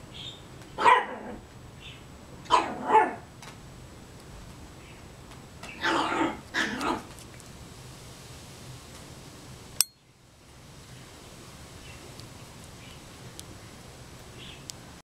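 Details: Female Chihuahua puppy plays with a new kitten pal and shows it who's boss. She gives a sharp yappy bark, then a quick pair of barks, then a longer rough double burst. A thump follows, then near silence with faint room hum.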